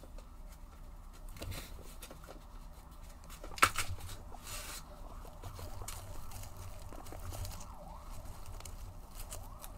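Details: Guinea pigs reacting as their food arrives, giving faint, repeated squealing calls that rise and fall in pitch, mostly in the later seconds, with a single sharp clatter near the middle and low background rumble.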